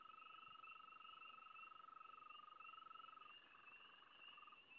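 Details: Frog chorus: an unbroken, quickly pulsed mid-pitched trill that dips slightly and breaks up near the end, over a constant higher warbling drone.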